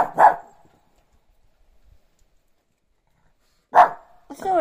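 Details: A Shih Tzu gives two short, sharp barks a few seconds apart, then a brief whine, barking for no apparent reason on a relaxed morning.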